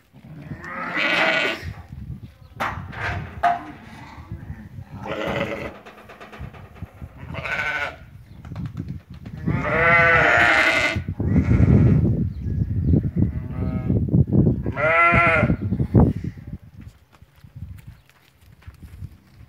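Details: Ewes that have lambed, offered for sale at a market in Fquih Ben Salah, bleating in loud wavering bursts, several overlapping, with one long quavering bleat near the middle and another later; low rumbling handling noise and some voices underneath.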